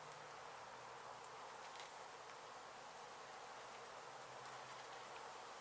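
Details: Honey bees from a hive struck by construction crews while an abandoned home in Mission, Texas was being demolished, now being relocated. A dense, steady hiss-like hum of many wings fills the clip without pause.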